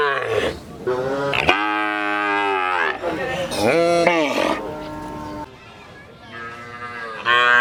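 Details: Cows at a village market mooing repeatedly, long harmonic lows overlapping one another amid background crowd noise, with a fresh moo starting at the end.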